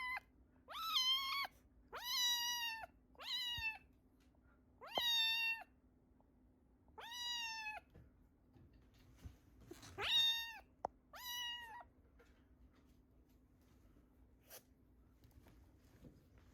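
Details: Ame, a rescued kitten about three to seven weeks old, found in Osaka's rain, calls with sweet, pleading and hungry cries: eight bright, high, strongly harmonic meows, repeated roughly every one to one and a half seconds, in a quiet room.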